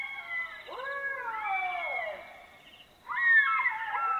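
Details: Black-backed jackals (Canis mesomelas) howl in chorus at night in Botswana, with high, wavering wails that rise and then slide down as several voices overlap.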